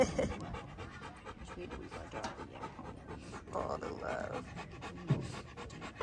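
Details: Panting hard, a tired male Bernese mountain dog out on his first hike breathes in rapid, husky puffs, while a person talks briefly in the middle.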